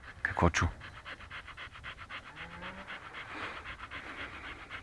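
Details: Panting Siberian Husky in Pleven, Bulgaria: a short loud vocal burst opens, then fast, even, breathy pants repeat several times a second, with a low background murmur throughout.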